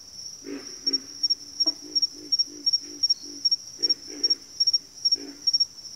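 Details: Chorus of frogs giving deep, grunting croaks in a fairly even series about three per second, some doubled, beneath a constant thin high-pitched tone.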